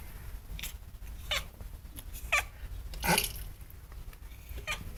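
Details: Female pet cat reacting excitedly to a bird seen outside, making odd dolphin-like noises: several short, high chirps and squeaky bursts scattered over a few seconds, over a steady low indoor rumble.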